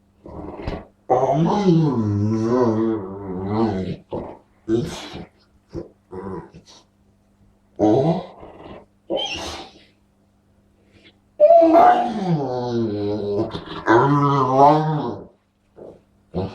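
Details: Dog giving crazy, funny vocalizations: repeated wavering, howl-like moans that bend up and down in pitch, broken by quick huffs and clicks, and a long rising-then-falling moan toward the end.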